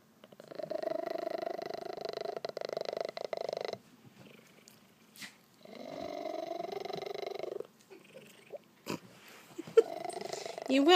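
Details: Male Maine Coon cat purring loudly while happy indoors: two long, steady buzzing bursts of about three and two seconds, rising and falling with breath, separated by quiet, with a few clicks and handling noises.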